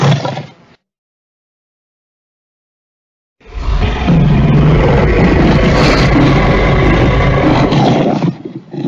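A lion gives a deep, rumbling roar, loud and sustained for several seconds.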